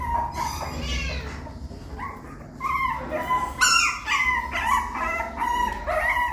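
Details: Puppy struggling to climb into the nest, sounding drawn-out whines and short squeaky whimpers that swell louder midway, repeated roughly twice per second, with faint background hum.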